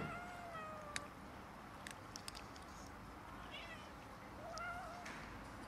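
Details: Cats and a kitten squabbling over food, heard as faint, thin wavering meows, one early and one near the end, over steady background hum with scattered clicks and taps.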